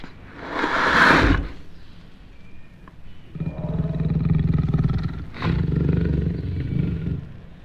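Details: Jaguar roaring: a harsh broadband burst near the start, then two long stretches of deep, rapidly pulsed rasping grunts, each lasting about two seconds.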